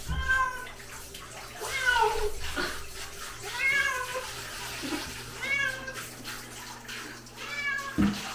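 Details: Sol, a pharmacy cat from Hongdae, meowing in protest while being bathed: about five drawn-out, harmonic meows that rise and then fall, each roughly two seconds apart, over splashing water and faint background sounds.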